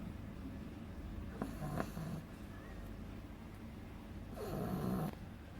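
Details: A 2-month-old beagle puppy named Agatha snores in her sleep. Two raspy, buzzing snores sound about three seconds apart, with a couple of faint clicks in the quiet gap.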